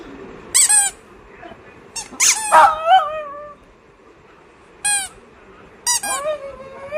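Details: Oscar the dog making cute sounds indoors: short high squeaky whines in separate bursts, some sliding downward and wavering, spaced by quiet gaps of a second or more in a small, still room.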